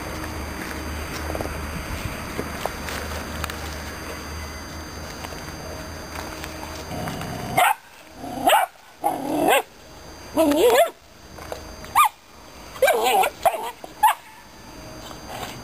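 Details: Aggressive Romanian Mioritic Shepherd Dog puppy barking in a series of sharp, loud barks after about seven seconds of quiet background hiss. The barks come in irregular bursts roughly every second.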